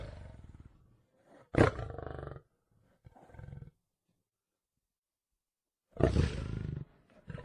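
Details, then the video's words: Lion in the wild, heavy low rasping roars in two bursts, one short and loud, another longer near the end, with softer grunting before and quiet gaps between. "Video with sounds of animals in the wild / elephants, lions, zebras.."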